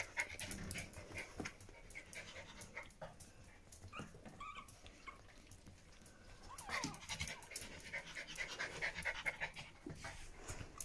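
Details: Pomeranian puppies with their mother, with quick soft breathy puffs repeated rapidly, occasional faint squeaks, and a woman talking in German in the background.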